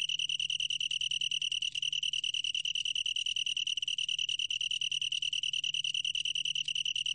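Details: Long-tailed tree cricket song, sourced from Korea's National Institute of Biological Resources, 2020: an unbroken, pure high-pitched trill of rapid even pulses held for the whole stretch, with a faint low hum underneath.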